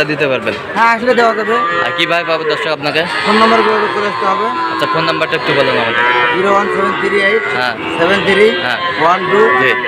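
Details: At the Ambari cattle market in Sylhet, Bangladesh, on 2 October, Sahiwal bull calves moo almost without pause, short undulating lows stacked over each other against a constant hum of human voices.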